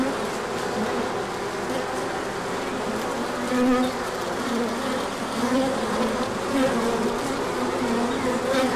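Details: Bees emerging in numbers for a large orientation flight when the sun returns after chilly days in March; an even, rich buzzing roar, with louder passing drones swelling briefly every second or so.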